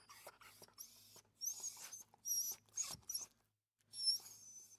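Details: Small dog giving irregular high-pitched whimpers, thin squeaky notes mixed with soft breathy snuffles and a short pause before a final drawn-out whine.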